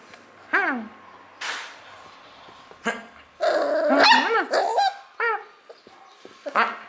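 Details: A young Beagle puppy gives high, sliding yips and whines in short bursts, joyfully excited in response to play calls.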